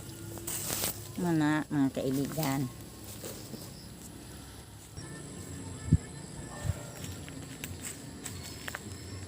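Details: Goats being fed their evening meal give two or three short, tremulous bleats early on, followed by quieter rustling and a couple of soft knocks.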